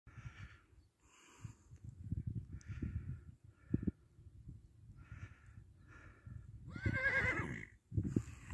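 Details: Kabardian horse whinnying once near the end, a loud shaky call with a falling tone, after a stretch of low thuds, snorts and shuffling sounds.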